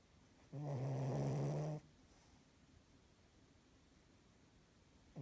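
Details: A 7-month-old female Cavalier King Charles Spaniel, struggling with the clock change, lets out a single deep, buzzy, rattling snore lasting just over a second, then quiet breathing and faint room hiss, with another breath starting at the end.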